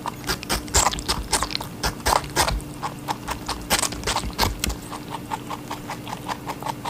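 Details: Rabbit eating a watermelon, close up: rapid crisp crunching bites repeated several times a second throughout, with louder wet crunches in bursts and a faint steady low hum underneath.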